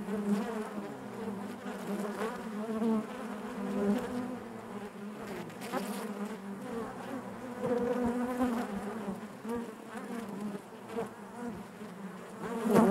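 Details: Massed honey bees inside their hive make a soft, unbroken buzzing, gently pulsing in loudness, with a few nearer buzzes standing out and a slight rise at the very end.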